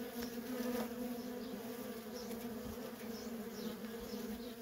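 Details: Feral honey bee colony with constant worker traffic: an even, dense buzzing drone that holds at a low pitch with a higher overtone throughout, plus scattered faint high chirps.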